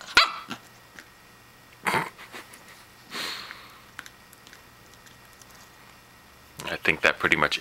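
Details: Pembroke Welsh Corgi puppy Riley confronting a plastic toy hedgehog named Phillip; a sharp bark at the start, a few scattered yaps, then a closing flurry of rapid barks, with a person speaking softly in between.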